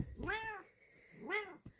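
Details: Responding to her name, the Bengal cat Kokoa gives two quieter arched meows about a second apart against a faint background hum.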